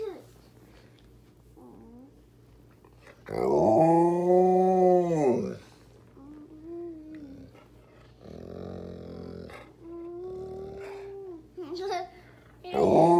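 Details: In the morning, an Alaskan Malamute nuzzles a toddler waking up in bed and gives a loud, drawn-out woo that rises and falls, with softer vocal sounds around it.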